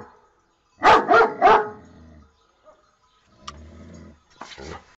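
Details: Domestic dog gives a quick run of three loud, rough barks, followed by quieter rustling, a click and a softer, fainter double bark at the end.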